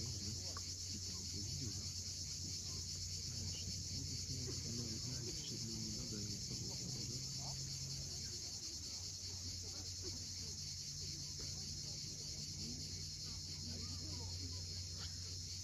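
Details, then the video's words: Cicadas buzzing continuously at sunset on the cliffs of Cape Fiolent in Crimea, a dense high shimmer without pause, layered over the steady low wash of waves and faint lower sounds. "Cicadas at sunset."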